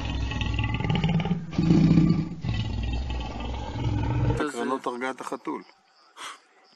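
A lion's deep, rumbling roar surges for about four seconds before a speaking voice cuts in.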